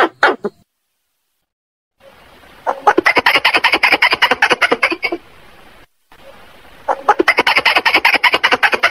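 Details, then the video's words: A squirrel calling a female opens with a brief harsh note, falls quiet, then gives two long runs of quick, evenly spaced raspy chatter pulses. "suab nas hooj twm quaj cuab maum tuaj zoo heev | tiếng con sóc"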